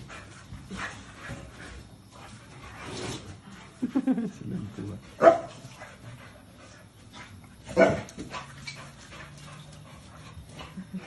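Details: American Bully dog in a home compilation, giving three loud, short barks spaced a few seconds apart in the middle of the clip, over quiet background noise and faint speech.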